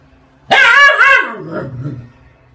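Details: Siberian husky giving a loud, dramatic vocalisation: a sudden harmonic-rich wail that wavers twice, then slides downward into a lower, fading moan over about one and a half seconds.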